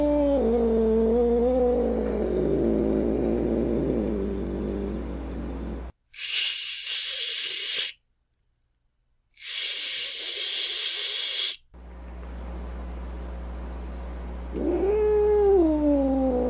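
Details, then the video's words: Angry cat: a low, wavering growl in the first six seconds, then two sharp, breathy hisses of about two seconds each, separated by a short silence, and finally a rising, whining yowl. "Cat Angry Sounds | Cat Snarling, Cat Hissing, Cat Moaning | Angry Cat Sounds"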